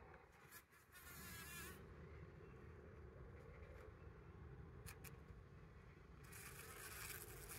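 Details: Trail-camera recording from 17 June 2023 of bees gathering pollen: a continuous low humming drone from wingbeats, fairly quiet, with soft bird warbles early on and short crackling rustles near the start and end.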